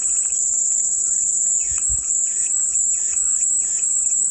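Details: Cicada buzzing for relaxation, a constant piercing high drone, with a few short, softer chirping notes repeated in the background partway through.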